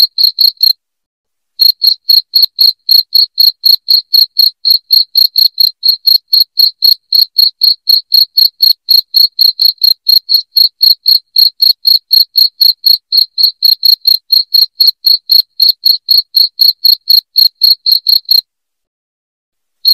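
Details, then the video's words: Loud cricket song intended to drive away rats in the house: rapid, high-pitched chirps about four per second, with brief silent pauses at the start and near the end and no other noise. "SUARA JANGKRIK NYARING PENGUSIR TIKUS"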